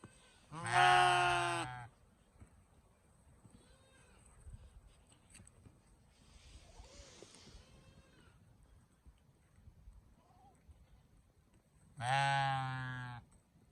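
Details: Sheep and lamb: two loud, harsh, wavering baas about ten seconds apart, each over a second long, with softer distant bleats and a low rumbling background between them.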